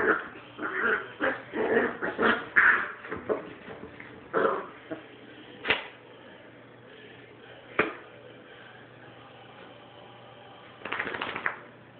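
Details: Katy, a puppy, turns on an older dog named Sophie, giving short rough growls and yips in quick irregular bursts over the first five seconds, then a few sharp isolated sounds, a quiet stretch, and a final burst.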